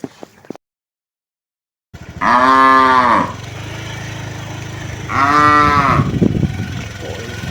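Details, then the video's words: Herd of cows, thirsty in hot weather: two loud, drawn-out moos, each about a second long and about three seconds apart, over a steady low rumble. "Kawanan Sapi Kehausan Saat Cuaca Panas, Funny Cow, Sound Cow"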